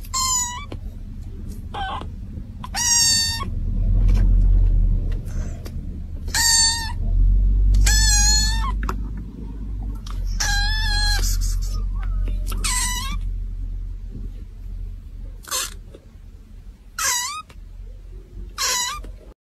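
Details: Kitten meowing loudly and insistently, with roughly a dozen calls spaced one to two seconds apart. Some meows are drawn out and wavering, others short, over a low rumbling background.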